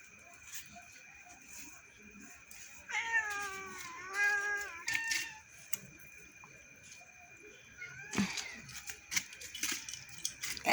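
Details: House cats waiting to eat at night indoors: two loud wavering meows around the middle, a steady background whine, and clattering and knocks toward the end.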